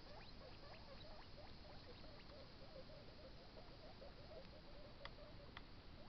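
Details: Carrot munching by a baby guinea pig: a busy patter of small crisp bites, fairly even in pace, with a couple of sharper snaps near the end against soft background hiss.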